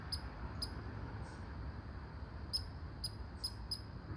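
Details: Barking red squirrel: a handful of quick, thin, high-pitched squeaks, two early, then a tight cluster of four after a short pause, with a soft low rumble behind.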